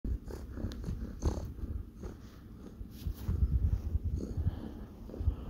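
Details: Male kitten purring while kneading; a steady, low rumbling purr throughout, close up, with soft rustling touches.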